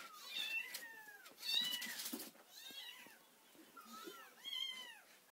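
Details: Daily wake-up meowing from four orphaned kittens, four weeks old, cared for by a person after their mother died: arched meows that rise then drop, coming in loose bursts with soft rustling between.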